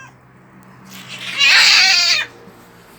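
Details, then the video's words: Fighting street cats at a storage shed: one loud, harsh, broadband screech lasting about a second, swelling suddenly and cutting off, over a faint low hum. "길고양이 싸움장소!"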